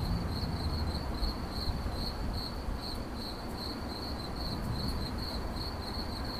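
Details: Regular high-pitched cricket chirping, quick pulsed bursts repeating roughly twice per second, over steady low background noise.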